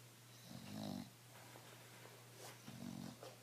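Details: A relaxed, stress-free bulldog named Emma snores indoors. Two low, rattling snores about two seconds apart stand out against a constant low electrical hum.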